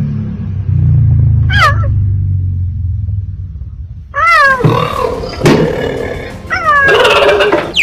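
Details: Cheetah; chirps; chirping to communicate with cubs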